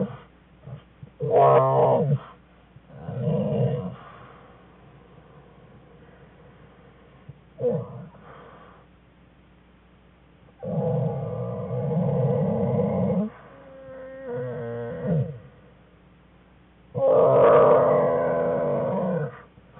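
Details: American black bear cubs whining inside a winter den beside their mother, January 5, 2013; three loud harmonic whining bursts, nasal and wavering, separated by quiet stretches of several seconds.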